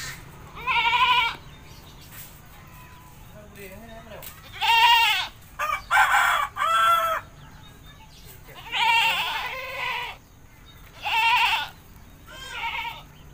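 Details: Village goat bleating while being bathed: about six bursts of nasal, tremulous bleating, some paired in quick succession, with soft low rumble and faint sounds between calls.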